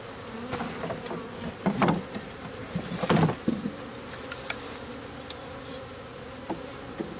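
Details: Local bees being installed into a backyard garden-style hive: a steady hum of many bees with louder buzzing swells around two and three seconds and scattered knocks from the hive.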